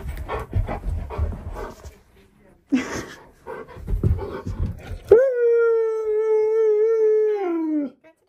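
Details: Siberian Husky indoors near a door, first a person talking over brief dog sounds, then one sustained howl of about three seconds, steady, slightly wavering, ending in a downward slide.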